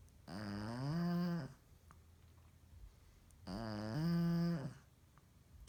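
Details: A female Shih Tzu, asleep in her living-room bed around 10 PM with her tongue out, snores loudly in two long, rumbling breaths with a harmonic, nasal buzz.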